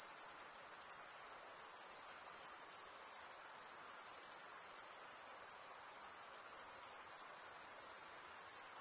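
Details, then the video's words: Crickets trilling without pause, the sound a piercing high, even whine that swells slightly every second or so, over a soft hiss. "cricket sound"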